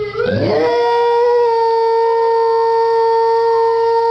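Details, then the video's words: Dog billed as a talking dog, giving a long steady howl held on one pitch with strong harmonics after a brief rising onset, indoors in a small room. "TALKING DOG!"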